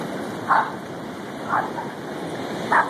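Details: At Lighthouse Field State Beach, Rowdy Joe, a 7-month-old Boston Terrier, and Casey, a 2-year-old German Shorthair Pointer, play in the waves. Three sharp, separate barks, spaced one to one and a half seconds apart, ring out over constant crashing surf.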